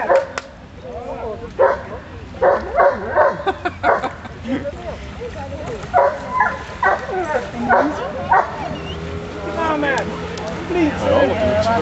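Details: Roxy, a Rottweiler out at the waterworks, gives clusters of short, punchy barks spaced about half a second apart, broken by pauses over some twelve seconds. A human voice calls in between.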